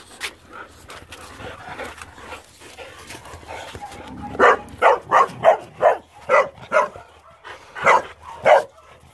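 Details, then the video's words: Boxers playing; quiet rustling and low murmuring first, then from about four seconds a fast string of loud, sharp barks continues to the end. "Boxers plaing!"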